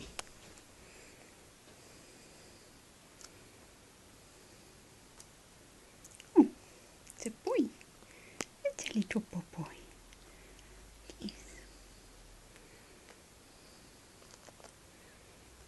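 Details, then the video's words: Brave Heart, a grey-headed flying fox pup two weeks old and orphaned, cared for by Adelaide Bat Care: a quiet stretch, then a cluster of brief falling squeaks and chirps midway, with scattered clicks and handling noise. "Brave Heart - the 2 week old Grey-Headed Flying-Fox Bat Pup Orphaned"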